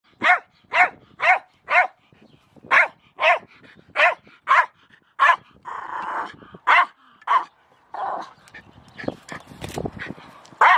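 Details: Jack Russell Terrier named Milo with a shovel, barking sharply in fast, uneven bursts, about a dozen high barks over eleven seconds, with scraping and rustling noises in the middle and toward the end.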